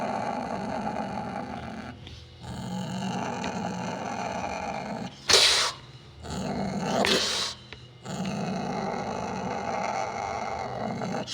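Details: Sumatran leopard cat (kucing hutan, kucing kuwuk), Prionailurus bengalensis sumatranus, giving a steady, rough, rumbling growl that drops out briefly near two seconds, broken by two short harsh hissing bursts around five and seven seconds.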